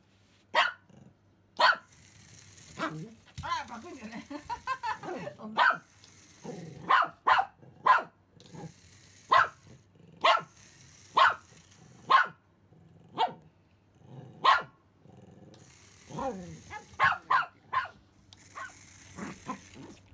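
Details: Pomeranian named Simba, excited by a remote-control rat seen for the first time, barking indoors: sharp high yaps in irregular bursts, roughly one per second, with quiet stretches of whirring and shuffling between them.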